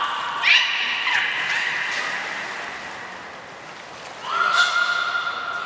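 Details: Beluga training with Nana and Niko, Port of Nagoya Public Aquarium, Japan, 7 October 2018: a brief high whistle, then a steady harmonic, humming tone with a squeaky rise, a pause, and another flat bright tone returning.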